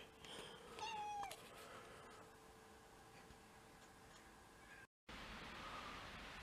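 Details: Mixed-breed house cat, one of six sharing a home, on the day of first snow, February 2023: a single clear falling meow, drawn-out and tonal, about half a second long, then steady low room hum.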